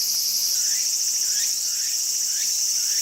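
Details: Walker's cicadas calling steadily in a garden, a continuous bright, hissing buzz with a rapid pulsed shimmer, and soft, curving, slurred notes recurring roughly every half second beneath it.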